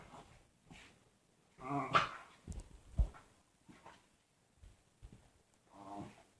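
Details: Pet dog in a small room making weird noises: a loud harmonic whining moan near two seconds, a few low grumbles and soft huffs, then another drawn-out whine toward the end.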